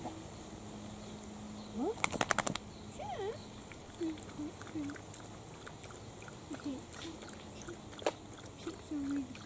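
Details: Six-week-old Italian Greyhound puppies from a first litter, running and playing indoors; short high whines and squeaky yelps rise and fall in scattered bursts, with a sharp clatter of clicks near the start.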